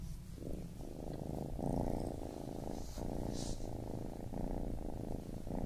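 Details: Continuous low purring from a baby kitten, soft rhythmic pulses rising and falling with each breath, with a faint hiss in the background.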